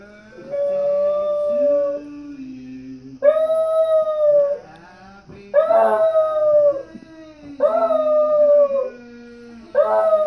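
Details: A dachshund howls along to "Happy Birthday" sung by a singer on a TV show, in long, wavering notes repeated in bursts with short pauses between.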